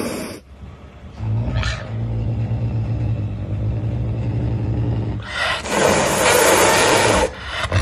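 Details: Pumba, a caracal, hissing while being given a massage: a low rumbling undertone for several seconds, then a loud, breathy, broadband hiss lasting about two seconds.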